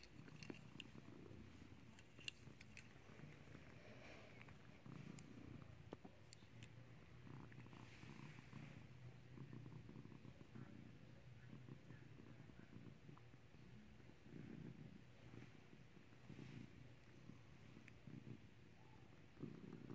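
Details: A clicker-trained house cat that has learned to ring a bell purrs without pause, a deep rhythmic throbbing rumble filling all twenty seconds, with only a few faint clicks above it in a small quiet room.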